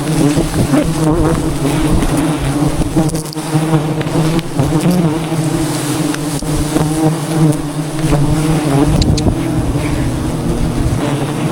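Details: Swarming wild bees around a forest nest in Cambodia while honey is harvested by traditional methods; a constant layered low buzzing drone, unbroken, with scattered clicks and handling noises.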